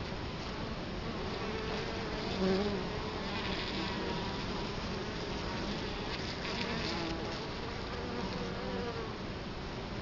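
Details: Italian honey bees at a hive entrance in Colorado Springs, October 2011, recorded with the camera right in front of the hive: a dense, steady buzzing drone from many bees, even in loudness throughout.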